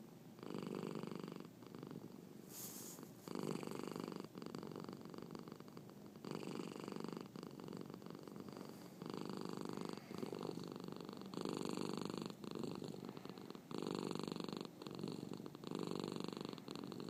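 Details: Loud, steady purring from Marnie, a cat with a hiccup, in a small room; the rumble alternates between strong and softer phases every couple of seconds, with one brief sharp click early on.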